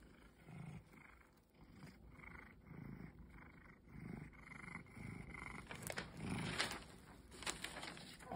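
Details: A pet cat, described as having forgotten its wild side, purring: low rumbling pulses rise and fall in a steady rhythm roughly every half second, with a few sharp clicks and rustles near the end.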